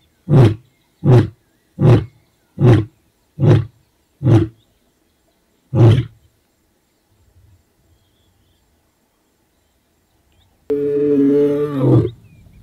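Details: Casper, an ageing white male lion of the Shishangaan coalition, gives a run of deep, grunting roar pulses in response to roars of the rival young Mayambula coalition males, southwest of his territory near Satara.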